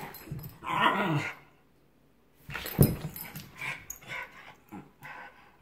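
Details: A Giant Schnauzer playing with a Miniature Schnauzer gives rough, low growling yips and grumbles in a burst of play.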